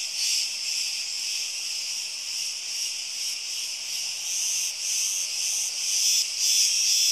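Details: Cicadas in Crete, Greece: a dense, hissing high buzz that swells and dips in a loose pulse about twice a second. Several brighter shrill streaks run through it, with no other sounds standing out.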